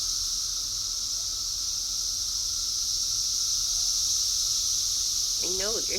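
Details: Cicadas buzzing outdoors on 6/4/24, bothering the cats: a steady, high, unbroken whine that holds without a break throughout, with a brief human voice entering near the end.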